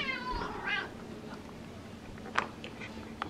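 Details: Pet cat indoors meowing for tuna fish: a drawn-out harmonic meow at the start, then a shorter rising note, followed by faint clicks and a person speaking softly in a small room.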